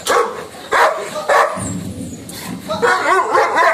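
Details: Lucky, a Labrador Retriever shown as angry during lockdown, barking in short harsh bursts about every half second, five barks with a brief rumbling growl-like stretch in the middle, and a person laughing.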